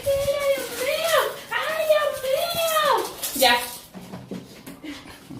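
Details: A female pet dog gives her annoying noise after strange sounds, spinning indoors. Three drawn-out, wavering whine-howls, each bending down at the end, fill the first half, followed by quieter room sounds.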